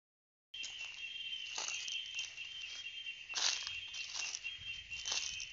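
Cicadas sing a steady, shrill, high-pitched drone that never lets up.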